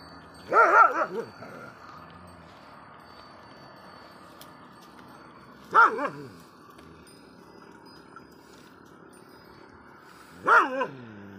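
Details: Dog barking at other dogs: three short bursts of harsh, wavering barks spaced about five seconds apart, each a quick double or triple yelp, over a quiet background.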